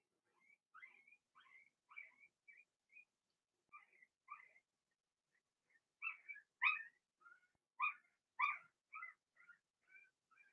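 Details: Blenheim Cavalier King Charles Spaniel puppies from Remy's first litter of six, born March 7–8, in an indoor puppy pen during potty training; high squeaky whimpers and whines come in uneven bursts, growing louder after six seconds.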